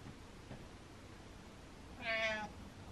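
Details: Butters, a pet cat, meows at his owner indoors, urging him to follow; one clear, bright half-second meow with rich upper harmonics near the end, preceded by faint room noise and a soft tap.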